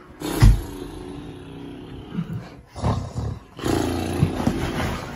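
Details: A big Boerboel mastiff with its owner at bedtime gives deep, rumbling grumbles in several bursts. The longest low rumble runs more than a second. A woman talks softly between them, and there is faint music.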